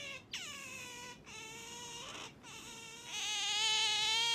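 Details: Pet otter waking its owner in the morning, giving near-continuous high whining squeals. Each squeal starts sharply, slides down and then holds steady. There are brief breaks between them, and the last stretch grows louder and harsher.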